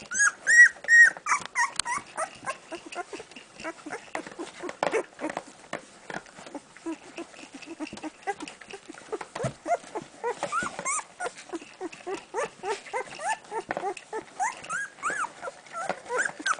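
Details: Golden retriever puppies at one week old hunting for milk; a dense chorus of short squeaky whimpers and whines from several pups, overlapping rapidly with shuffling sounds.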